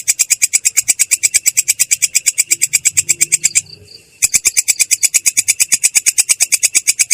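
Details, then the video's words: Rolling ngerol call of a katydid known locally as belalang kecek, clear but coarse: quick buzzy high pulses in a regular series, stopping for about half a second before resuming at the same pace. "belalang kecek ngerol!!! suara jernih kasar"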